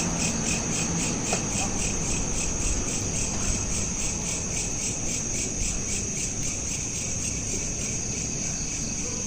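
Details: Night-time cricket chorus captured with a smartphone: continuous rapid high-pitched pulsing at an even rate, layered over a soft broadband low rumble, no other clear sounds.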